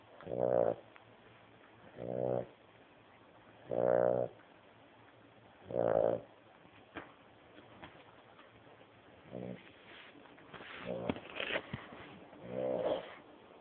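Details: Old dog, 14 years of age, snoring very loudly in sleep: harsh buzzing snores about every two seconds, eight bursts, the later ones mixed with faint rustling and clicks.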